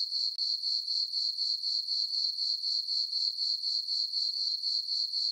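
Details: Summer-night chorus of crickets in a moonlit farm meadow: a continuous shrill tone beating in regular pulses, roughly four per second, throughout, against otherwise silent dark.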